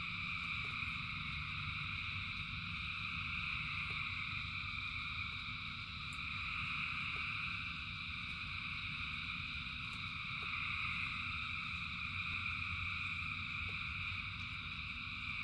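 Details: Thousands of frogs singing through rain produce an unbroken high, banded trilling that gently rises and falls in loudness, while heavy rain rumbles below and drops click every few seconds.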